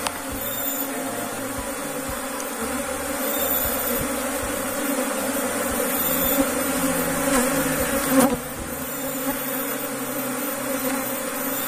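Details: Asian honey bees (Apis cerana) at a kept hive box in Indonesia, a continuous droning buzz with a faint tap near the end.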